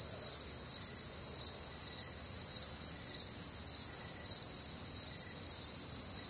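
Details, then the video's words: Night-time crickets recorded on a warm, humid summer night in the Midwest; layered high-pitched trills run without pause while a pulsing chirp repeats about twice per second, with faint lower insect notes beneath. "Night Time Cricket Sounds"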